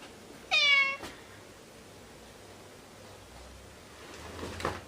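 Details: Domestic cats playing and fighting: a single short, harmonic meow about half a second long, followed by a quiet room with faint background hiss.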